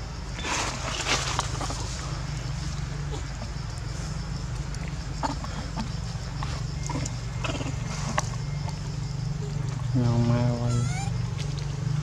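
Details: Frightened baby monkey in Cambodia, scared of its mother after she turns aggressive with food in hand; rustling and scattered clicks, then a short loud quavering harmonic scream near the end over a constant low drone.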